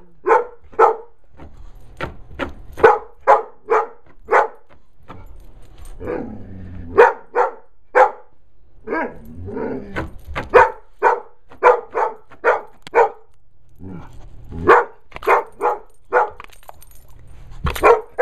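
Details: A pet dog barking after finding a bee, sharp separate barks repeated in irregular bursts, roughly a dozen per ten seconds, with short pauses between volleys.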